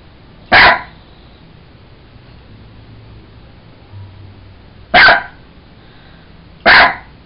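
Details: Jack Russell Terrier named Sugar, a pet dog playing with a toy monkey indoors, gives three short sharp barks, the first alone and two more about four and six seconds later, with quiet room noise between.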